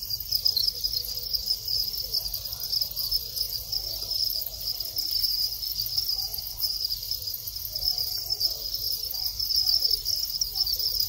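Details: Captive Thai crickets in the reproductive cycle, with males calling at the onset of mating; an unbroken, high, buzzy chirping chorus with fast shimmering pulses, and low background hum throughout.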